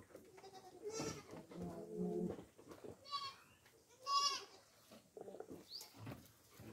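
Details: Kept goats being fed coconut pulp give a run of nasal, vibrating bleats, some low and bleating steadily, others higher and shrill, overlapping with occasional human voices.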